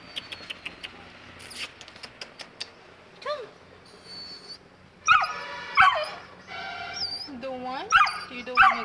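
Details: Saint Bernard puppy, two months old and scared of descending stairs, after quiet clicking sounds lets out a falling whine, then a burst of high yelping whimpers and bending whines near the end, while its owner urges it to come.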